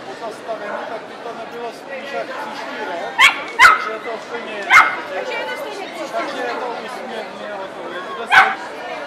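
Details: Cardigan Welsh Corgi at a dog show in Ostrava, 12 April 2014: a few sharp, short barks, one pair close together and then single ones spaced seconds apart, rising above steady crowd chatter and voices.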